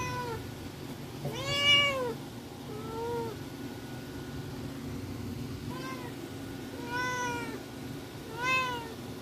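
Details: Young tuxedo kitten indoors meowing for attention, five arched, harmonic meows spaced a second or two apart, the second and fourth shorter and softer, over a steady low background hum.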